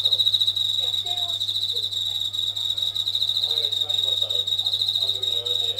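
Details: Indoors at night, a Japanese katydid sings near the kitchen ceiling, its song said to grow louder when tap water runs; a steady high-pitched pulsing buzz throughout, with a constant low hum and soft background clinks.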